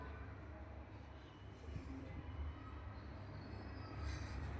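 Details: Continuous low rumbling like a passing train, with faint murmured voices and no animal calls.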